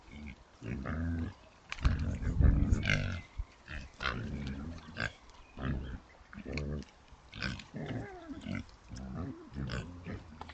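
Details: A sounder of Oxford Sandy and Black pigs, a British rare breed, caught on a woodland trail camera while rooting for food. Dense, rapid low grunts come in bursts, with one louder run of grunting in the middle and rustling between.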